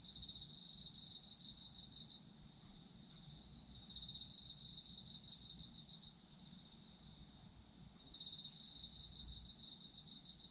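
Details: Autumn insects chirring for sleep listening: high rapid pulsed trills rising in three loud waves about every four seconds, with a continuous thin ringing tone above and quiet low background noise.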